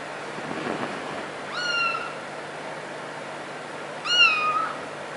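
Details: Cat meowing in a funny cats and kittens compilation: two drawn-out falling meows about two seconds apart over a steady background hum.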